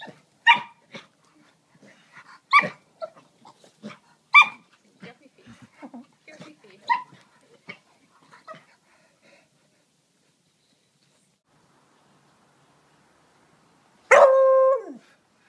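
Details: Craig, a one-year-old tri-colour Beagle, having fun: four loud, sharp barks about two seconds apart with softer grunts and yips between them, then a pause before one drawn-out, tonal yelp at the end.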